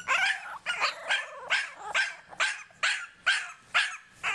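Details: Several English Bulldog puppies, born November 2012 and home-raised, making a lot of noise: rapid high-pitched yapping barks, roughly two per second, bright and slightly hoarse, overlapping in quick bursts.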